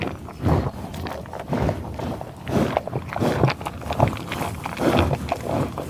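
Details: Bison sniffing and grunting in tall grass on the prairie near Pawhuska, Oklahoma, USA: low, breathy bursts of snorting and rustling come irregularly, about one every second, with grass brushing and soft footsteps between them.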